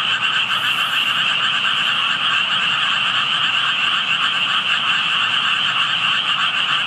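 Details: Frogs calling out of sight near tadpoles: continuous massed chorus of fast pulsed croaks, with a brief high hiss early on, otherwise an even, dense drone.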